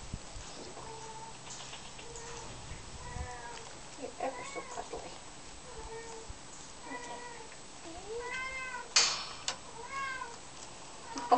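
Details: Twin Bengal kittens, Ronnie and Reggie, held for the first time, give high, thin mews with stacked overtones, some arched and some rising. The mews come every two to three seconds with brief pauses, over a quiet indoor background.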